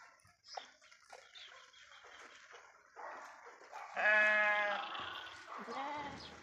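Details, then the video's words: Sheep grazing on pasture in woodland, with soft background noise and murmurs before a strong wavering bleat at the end, quickly followed by a shorter, lower second bleat. "అడవిలో పచ్చిక మేస్తూ సేవ తీరుతున్న గొర్రెలు"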